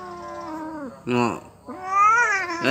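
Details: Orange domestic cat being talked to by a person indoors, giving three drawn-out, strongly harmonic meows: a long falling one, a short loud rising-falling one, then a long wavering one rising again at the end. Human chatter nearby.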